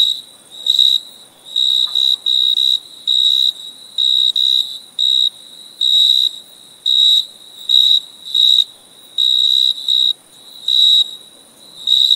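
A cricket gives a steady run of shrill, pulsing chirps, each burst lasting around half a second. The bursts repeat in an even rhythm with short silent gaps between them.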